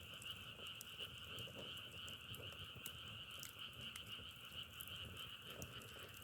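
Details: Frogs calling as a dense, steady chorus, a continuous trilling drone on two pitch bands, one low and one higher, with sharp crackles and pops of burning firewood scattered throughout.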